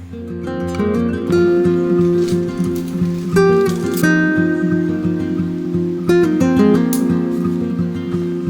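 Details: Plucked acoustic guitar music with strummed chords and ringing notes, and no animal sounds.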